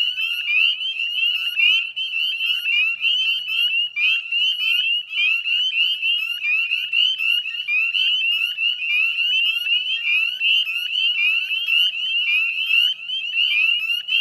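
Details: Salt marsh wetland at West Chezzetcook, Nova Scotia, at dusk on 18 May 2020, filled with a Northern spring peeper chorus: countless sharp, rising peeps merge into an unbroken high ringing drone.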